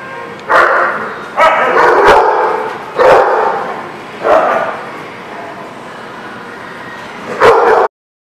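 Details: Dogs at a kennel or daycare on 16 November 2019, barking in loud bursts spaced roughly a second apart, some doubled, with a noisy reverberant background between barks.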